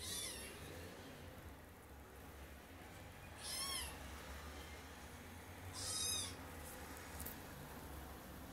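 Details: While scrambling to get up onto a bed, a kitten lets out three short, high meows spaced about three seconds apart, each with a wavering, rising-then-falling tone; faint low hum underneath.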